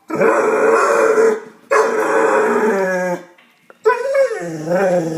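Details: Domestic dog vocalizing at a cat with long, strained, harmonic groaning howls, two sustained ones followed by a wavering, bending note after a brief pause.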